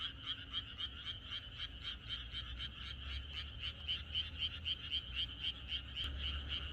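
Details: Rural frogs in chorus on a night before rain, croaks pulsing evenly about four times per second in a bright band, strongly rhythmic and continuous, over a faint low drone.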